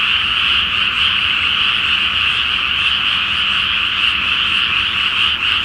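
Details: Frog chorus at night in a flooded rice field before planting under a full moon in Japan: a dense, continuous wall of overlapping croaks, steady throughout with no gaps, no single caller standing out.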